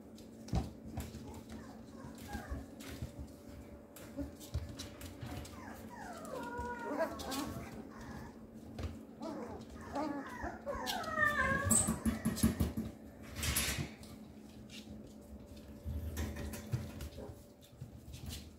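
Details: A 13-day-old male Papillon puppy gives high, thin squeaks and whimpers in wavering, bending clusters, heaviest around the middle of the recording, over a steady low indoor hum.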